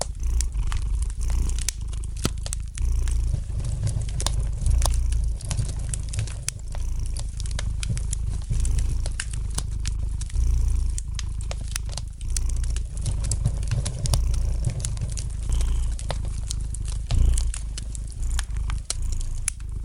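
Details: Relaxed house cat purring next to a crackling fireplace; the deep rumbling purr runs unbroken, rising and falling with each inhale and exhale, while dry clicks and snaps of the burning logs sound frequently.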